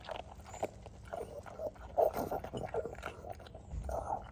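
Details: A pug eating kibble outdoors at lunchtime on a freezing day in London with frost on the grass. Noisy crunching and chewing with quick snuffly bites, irregular and continuous.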